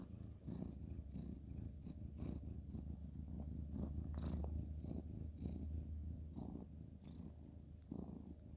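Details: Male ginger tabby purring during bedtime petting on the bed: deep, even, continuous rumbling purr with faint rhythmic breath swells and light rustling of fur and bedding.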